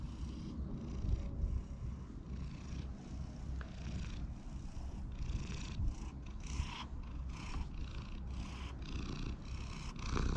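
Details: Community cat in a park, one of several living close together, purring while being stroked, filmed on a GoPro HERO8: a low, steady rumble runs throughout, broken by regular brushy rustling bursts from hands moving over fur.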